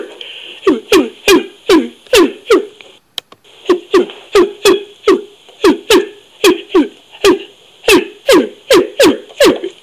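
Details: Orangutan producing a long run of abrupt, percussive smacks, each with a brief downward-sliding tone, about two per second, broken by a short pause near the third second before resuming steadily.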